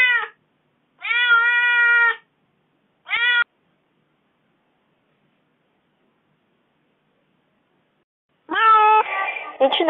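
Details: Kitten left alone for four days while its owner was away, crying in a wronged tone: three drawn-out meows, the last clipped short, then a long silence before one final rough meow.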